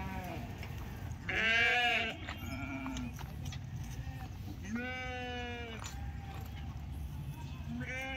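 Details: Penned sheep at the Pebbair sheep market bleat three times, each a loud, quavering, harmonic-rich cry about a second long, with a constant background hum of market bustle.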